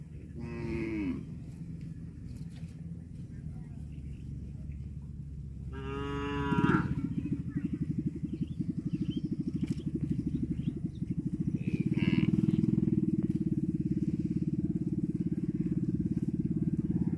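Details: Cows eating grass give loud, drawn-out moos with rich harmonics, over a steady rhythmic background rumble.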